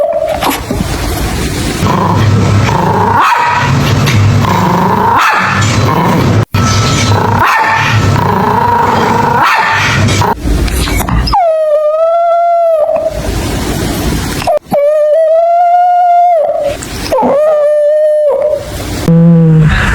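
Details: Puppies playing with toys on green grass outdoors; the first half is dense, noisy sound, then clear drawn-out, wavering whines with rich overtones come in several separate bursts, rising and falling slightly.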